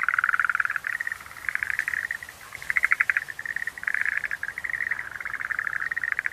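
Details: Rattling pulsed trills of Schlegel's green tree frogs, loud at the start, a short lull near two seconds, then clusters of quick clicking notes resuming and overlapping to the end.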